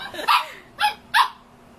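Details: Three sharp, bright barks from a male Shih Tzu reacting to his own reflection, evenly spaced within two seconds, in a quiet indoor setting.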